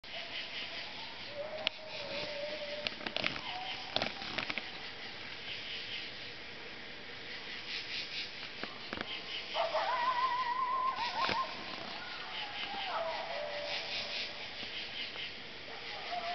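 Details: Coyotes give faint, distant, wavering, rising howls, heard from a bedroom window through steady background hiss.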